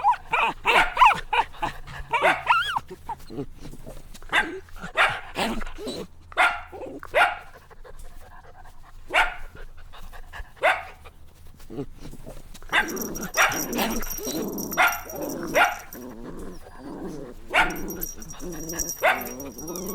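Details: Playful puppies in nature yapping in quick strings of sharp, high yips, some slurred into squeaky whines, with short pauses between the rapid bursts.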